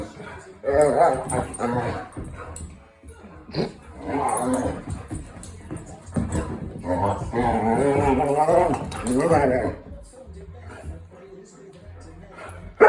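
A Vizsla gives drawn-out, wavering whines and groaning moans in several bursts, with a person speaking briefly.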